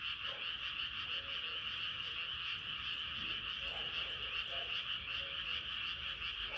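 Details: Night frog chorus under a rising moon, a shimmering wall of rapid high trills running continuously, with soft lower croaks popping up now and then, around one and three and a half seconds.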